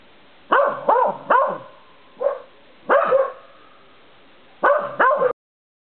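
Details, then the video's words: A corgi gives short, rising-and-falling howling yelps and barks in quick bursts with brief pauses, outdoors in the dark by porch light, as another dog barks behind the front door. "Corgi howl"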